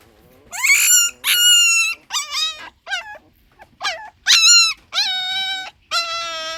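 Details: Puppy crying in a run of high, drawn-out whines, each rising then holding a steady tone, with short yelps between them. Loud cries come in bursts about every half second to one second, with quiet gaps between.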